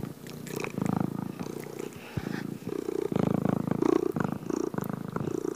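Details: Kittens purring: a low, steady rumbling purr in rough pulses with brief pauses, a few faint clicks and soft higher tones over the top.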